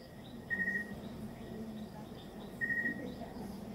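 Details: Crickets at night at a home in the province, where many live: two tonal chirps, each a short steady buzz about half a second long, spaced two seconds apart over a low hum.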